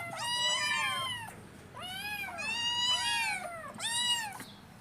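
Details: Hungry kittens meowing at breakfast: four long, clear, arched meows spaced about a second apart, each rising then sliding down, bright harmonics, quiet room between calls.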